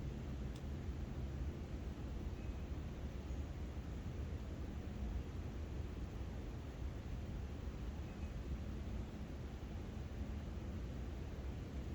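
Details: Steady low rumble of engine or vehicle noise throughout, with no animal calls.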